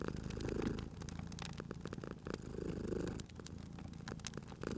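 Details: Cozy fireplace scene with a sleeping cat purring; a soft low rumble strengthens twice in under five seconds as the cat breathes, accompanied by scattered crisp crackles from the burning fire.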